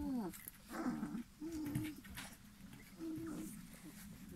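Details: Three-week-old Airedale Terrier puppies from the R litter, November 2018: short whining and grunting calls in bursts, low and slightly wavering, with a faint human voice in the background.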